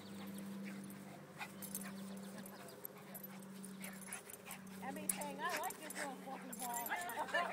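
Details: Terrier and shih tzu, Emmy and Ginger, tussling in a play fight; wavering whiny yelps and squeals come in the second half over a steady low hum and a human voice.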